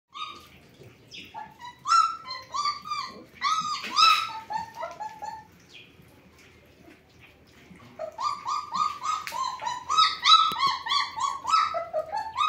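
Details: German Shepherd puppies from a Sieger x Karolina litter whimper and whine in bursts of high, wavering, rising-and-falling squeals, several pups overlapping, with a quiet pause in the middle before the chorus resumes.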